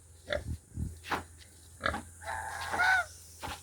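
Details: Grunting of a domestic native pig's growing offspring, which are white in colour: short, low, rough grunts come every half second or so, followed by a brief, higher tonal squeal near the end, over a steady low hum.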